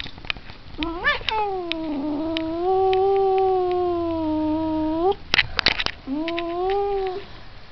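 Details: A cat's sustained, harmonic-rich howl: a short wobbling cry, then a long steady moaning wail held for about three seconds that lifts at the end, a sharp click, and a final rising yowl.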